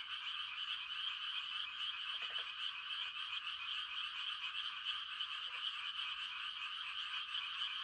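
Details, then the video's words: Night-time frog chorus in quiet countryside during rice-planting season, a constant high trilling mass of croaks with two short, lower rattling bursts rising out of it. "The sound of frogs on a quiet country night"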